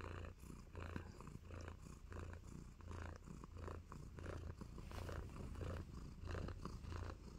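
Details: Close, loud purring from Nacho, a blissful tabby kitten handing out love bites: a deep rumble pulsing in even waves roughly every half second, with slight breathy texture between pulses.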